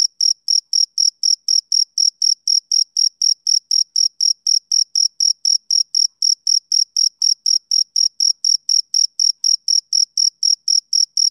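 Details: Shrill chirps of a male cricket repeat evenly at roughly four per second, each a brief high buzzy pulse with a fainter upper tone. The background is otherwise silent.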